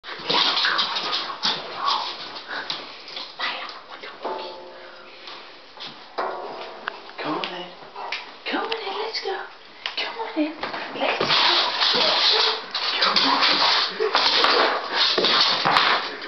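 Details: Labrador Retriever indoors, excited while waiting to go for a walk: high whines and yelps rising and falling in quick bursts, mixed with a person's speech, small-room echo.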